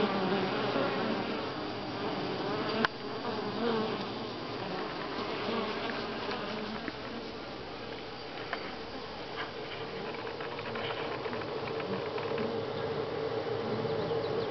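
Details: At Grass Lake Sanctuary in week six, July 25, 2011, a swarm of honey bees produces a constant droning hum, a sharp knock near three seconds and scattered faint clicks later.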